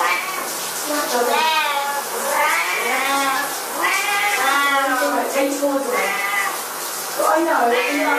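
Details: Loud caterwauling meows from Siamese cats around shower time, long harsh wails overlapping one another in a steady stream, with a hissing background noise.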